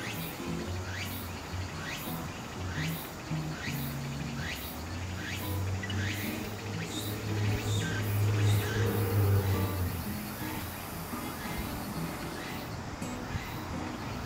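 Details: Song of Walker's cicada heralding autumn: rapid rising sweeps repeat about every second, slowing and fading partway through, over steady low-frequency rumble.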